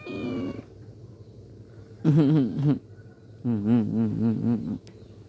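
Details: A black pet cat gives a brief low moan, then two drawn-out, wavering meows with a throbbing, vibrato-like quality, each lasting about a second, separated by a quiet pause.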